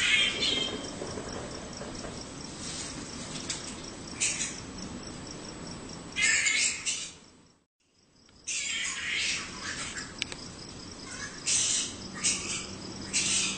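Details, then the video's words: Around a home in Australia, flying foxes give scratchy, broadband squawks in scattered bursts, with a brief near-silent gap midway. A thin, pulsing insect trill and low background hum continue underneath. "Australian Flying Fox (Fruit Bat)"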